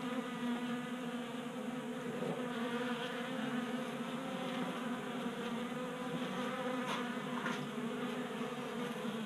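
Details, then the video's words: Honey bees feeding at a 3D printed tabletop bee feeder in a garage in Colorado, active on a warm 60-degree January day. A dense, steady buzzing hum of many wings with stacked harmonics, continuous throughout. "Honey Bees Feasting from 3D Printed Bee Feeder"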